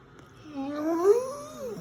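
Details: Goliath, a Dogo Argentino, lets out a drawn-out yawning moan, a tonal voice sliding up and down with a louder swell in the middle, recorded indoors with quiet background.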